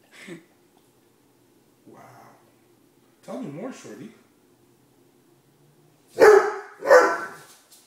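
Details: Female Great Dane Shortie demanding dinner inside: brief grumbles, then a warbling, wavering 'talking' moan, followed by two loud sharp barks about a second apart, with a person's voice between.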